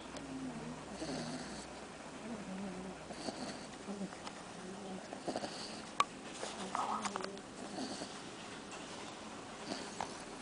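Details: A Cocker Spaniel snores while dreaming, in slow, rasping breaths, each rumbling snore repeating about every two seconds.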